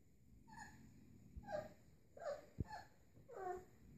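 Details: Kuvasz-Golden Retriever cross puppies, born 11–12 May 2014, at a puppy play session on 3 June 2014; four short tonal yelps or whimpers, each bending downward, spaced about a second apart over a quiet background.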